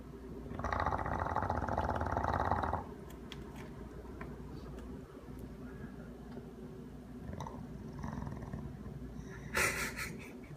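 An English Bulldog snores with a loud, rasping rattle, then settles into a low, steady rumble.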